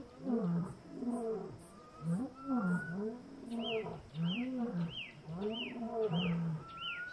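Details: Lion in the wild in Kgalagadi Transfrontier Park giving loud, moaning roars, arched rising-then-falling groans repeated in a run, while a bird adds quick descending chirps and a thin rising whistle in the background.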